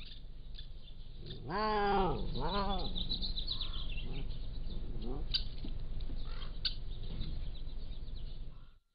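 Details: Pallas's cat kittens, 3 to 7 weeks old, at a wildcat zoo, recorded by a motion-activated trail camera: two loud arching mewing calls near the start, then softer faint calls within a steady background hiss.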